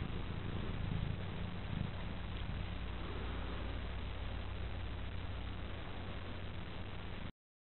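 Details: Petaline, a young female cat, asleep and purring contentedly on her owner's lap; a soft, steady low rumble runs without a break from start to finish beneath faint background hiss.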